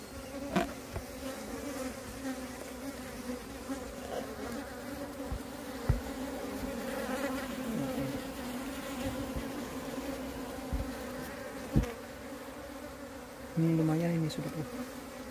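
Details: During the moving of a wild bee swarm that split from its colony, a continuous droning buzz runs throughout, interrupted by several knocks and bumps and a brief tonal sound near the end.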